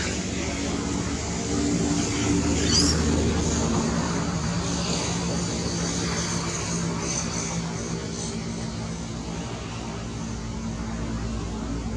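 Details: Steady loud engine and traffic rumble, like a passing aircraft or vehicles, with faint speech and no clear animal call.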